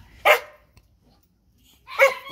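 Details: Phu Quoc Ridgeback dog nearing the day she gives birth, giving two sharp, loud barks about one and three-quarter seconds apart, with quiet in between.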